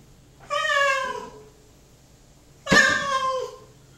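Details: Male house cat shut indoors in a bathroom while waiting for his dinner, kept apart from another cat so they cannot steal each other's food. Two loud, drawn-out, falling meows about two seconds apart.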